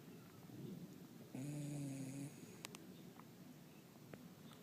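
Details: Sleeping dog snoring softly and gently indoors: quiet breathy rasps, then a sustained nasal whistling tone lasting about a second, followed by faint breaths and a few small clicks.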